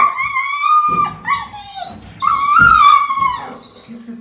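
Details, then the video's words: Dobermann Petra, a female, protests in her bath when the massage stops, giving drawn-out high whines with slight pitch bends, broken by short breaks, mixed with a woman's soft speech and some low rubbing sounds indoors. "Petra Doberman no banho, reclama quando param de a massajar"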